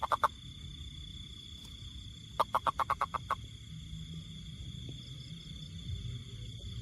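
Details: A toad calling: a brief burst of three quick, rasping pulses, then after a pause a run of seven evenly spaced croaking pulses, set against a steady high hum and faint low background rumble.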